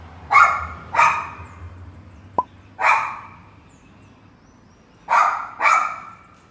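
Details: Pet Pinscher dog barking: five sharp, short barks in pairs and singles spread over about six seconds, each bright and clipped, with a single click between them and quiet background otherwise.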